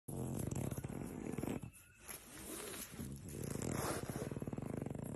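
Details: A female French Bulldog, being cuddled and scratched, grumbles in low, throaty rumbles that pulse rapidly, broken by a brief quiet pause.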